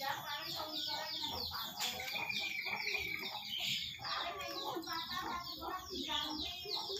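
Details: Pet otter at feeding: continuous chorus of piercing, falling chirps packed closely together, steady throughout, with faint lower murmuring underneath.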